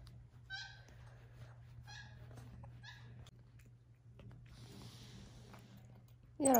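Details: Xander, a pet capuchin monkey, plays indoors with a glitter slipper. He gives three short, high, squeaky chirps about a second apart over a steady low hum, and a sharp rustling burst comes at the very end.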